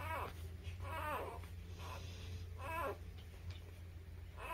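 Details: Newborn puppies, between birth and three weeks old, give high, arched whimpering squeals with rich overtones, about four cries over several seconds, each rising then falling; a steady low hum runs underneath throughout.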